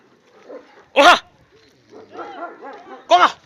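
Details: Kangal sheepdogs brought along with the sheep, chasing other dogs they have spotted: two loud, deep barks about two seconds apart, with a man's voice talking quietly in between.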